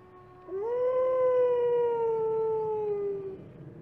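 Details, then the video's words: A wolf gives a single clear howl, rising quickly at the start, then sustained and gently falling over about three seconds, with rich overtones above and a quiet low hiss behind. "Wolf Howling"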